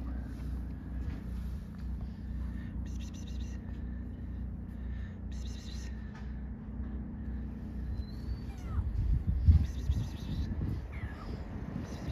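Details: Hungry stray cat on an Istanbul street, one of many strays waiting to be fed; a low, steady rumbling purr runs throughout, with a short high meow near the end and faint street noise.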